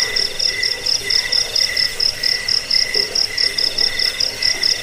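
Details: Cricket song meant to chase away rats, ease sleep and school songbirds; a piercing high chirp stutters in rapid short groups about twice a second, layered over a steadier lower trill.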